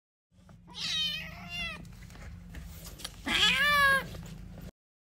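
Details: Kittens fighting and playing: two loud, drawn-out harmonic meows, the first wavering and the second starting low, sweeping up and then falling, over a constant low hum.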